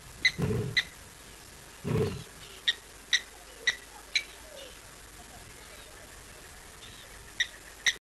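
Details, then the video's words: Lion roaring at dusk, 6:15 PM on 4 October 2023, in South Africa; two deep, breathy low roars near the start, with sharp regular clicking sounds throughout and a faint background hiss. "LIVE Lion Roars"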